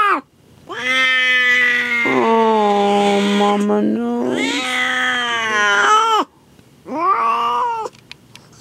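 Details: Cat in labour delivering her first litter, indoors in the room she chose; loud, sustained caterwauling in long overlapping wails lasting several seconds, then a shorter final cry after a brief pause.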